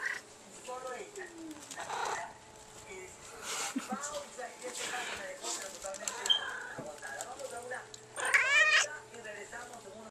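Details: Female pet cat chatting with its owner indoors; quiet short mews and murmurs give way to a loud, strained, wavering meow near the end, while the owner talks over a constant low hum.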